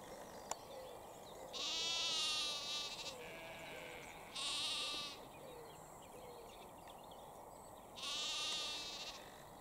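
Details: Ewe in Cambridgeshire, UK, on 20 April 2021 at 6:39 pm, calling to her baby lamb: three loud, wavering, harmonic bleats of one to two seconds each, spaced a few seconds apart, over faint birdsong and a quiet outdoor background.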